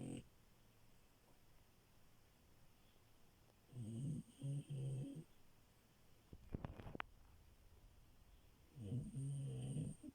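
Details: French Bulldog puppy Milo asleep, three rounds of low rattling snores spaced about five seconds apart, with a few soft clicks and rustles in between.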